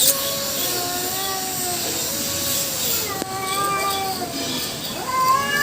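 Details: Long, steady-pitched caterwauls from a fight between two female cats and one black male, tones sliding slowly downward before a sharper rising wail near the end.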